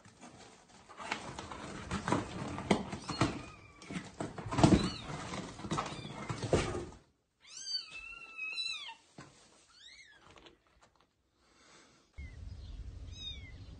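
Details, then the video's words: Mother cat moving her kittens to a new place while they meow loudly; rustling and handling noise first, then a run of clear, high, wavering mews with falling ends, short pauses between, and a final faint mew. "Mother cat carries loudly meowing kittens to a new place"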